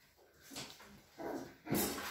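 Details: Cavalier King Charles Spaniel puppies kept by a breeder in a small village in the Sierra de Madrid, Spain, vocalising indoors in a small room: two short, soft yelping bursts, the second louder and sharper, with a faint background hum.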